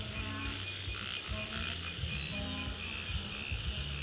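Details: Many frogs calling on an evening roadside on the way home, a dense 'symphony of frogs': rapid repeated high dashes layered over steady low pulsing, with music playing in the background.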